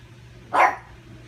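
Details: A pug barks once at its reflection, trying to steal its ball: a single short, sharp bark over a low steady hum.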